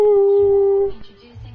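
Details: A double dapple Dachshund, prompted to "sing a song", gives a steady, drawn-out howl held on one even pitch for nearly a second.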